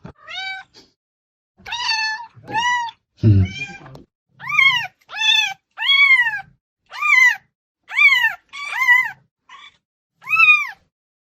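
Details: Loud attention-seeking cat meows: about a dozen arching, harmonic-rich calls in steady succession, a few shorter and lower, with one brief thump early on and silence between calls.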